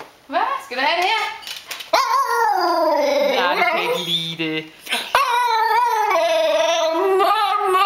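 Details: Female Tibetan Terrier indoors, singing to ask for food: long wavering howl-like notes, rich in overtones, gliding up and down in several drawn-out phrases with short breaks, while a person speaks Danish nearby.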